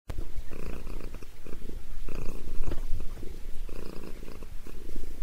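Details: Sabrina the cat purring while getting a head massage indoors; steady low rumbling purr in rhythmic bursts roughly every second, with faint higher harmonics.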